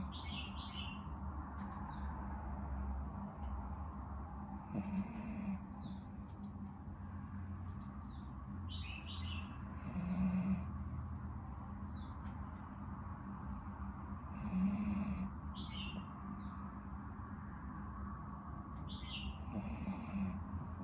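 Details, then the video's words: A napping dog snores in slow, low rumbling breaths that swell about every five seconds under a steady hum, while small birds chirp in short high notes through the background. "My dog snoring while taking a nap"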